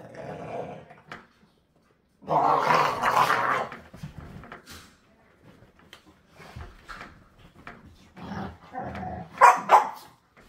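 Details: Play-wrestling American Pit Bull Terrier puppies, one still with baby teeth, tussling with a tolerant rescue pit bull; short growls, one loud broad snarling burst, then scattered choppy growls and a sharp bark-like outburst near the end.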